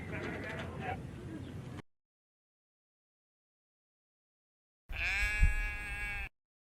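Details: Sheep bleating: a rough, noisy stretch followed after a silent gap by a strained, wavering bleat with a hoarse edge, lasting about a second and a half.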